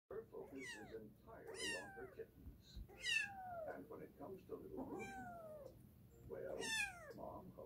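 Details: Domestic cat giving a run of five high, thin meows, each sliding steeply downward with bright harmonics, spaced roughly a second and a half apart over a low indoor rumble.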